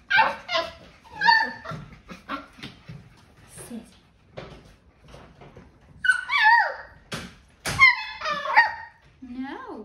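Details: Kerry Blue Terrier puppies, seven weeks and two days old, giving high whimpering yips and short whines in bursts, mixed with a person's commands to sit and praise indoors.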